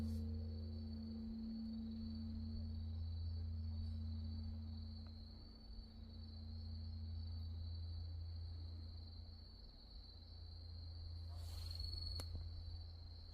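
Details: Insects singing after dark at Wonhyosa mountain temple on Mudeungsan, October 2024: an unbroken high ringing trill, a lingering low hum from a distant temple bell, and a brief knock near the end.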